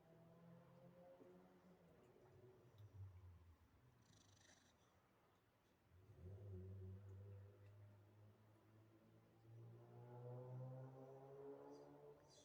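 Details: Sleeping dog snoring and yapping in its sleep; quiet, deep, buzzy rumbles come in long drawn-out breaths, the last two swelling with a nasal, whining edge, in an otherwise still room.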